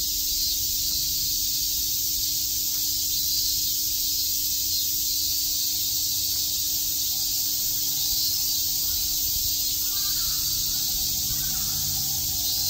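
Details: Cicadas chirping on a summer day in Shakujii Park, Tokyo: a dense, unbroken high-pitched hiss that holds steady for the whole stretch, with a faint low hum beneath and brief faint sounds near the end.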